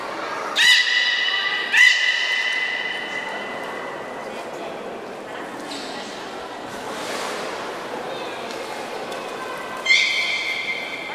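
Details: A beluga whale named Mirai, during training at Nagoya Port Aquarium on 3 May 2018, gives short, bright, squeaky calls rich in overtones over a steady background murmur.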